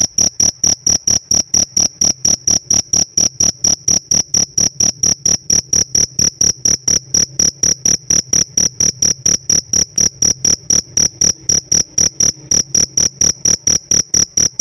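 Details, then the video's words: Chirp of a pet cricket, admired for its special sound: a sustained series of shrill, clear pulses racing along at nearly four per second, very regular and loud, with no other sounds. "Suara ngerik nya istimewa"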